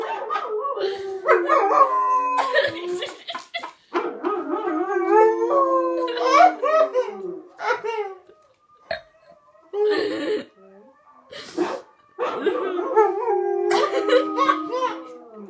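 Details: A white German Shepherd howls in long, wavering, sliding tones while watching another dog howl on television, answering the dog's howl on screen.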